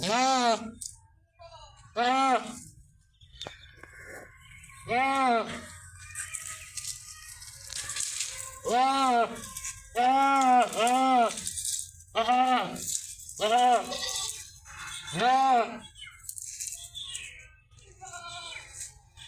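A goat gives a run of wavering, nasal bleats, each lasting about a second, some coming in quick pairs. Soft rustling and handling noises fill the gaps between calls.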